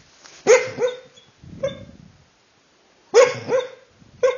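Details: Sleeping dachshund giving two short barks about two and a half seconds apart, each a sharp onset followed by a brief rising yelp, with a low rustling murmur between them in a quiet indoor room.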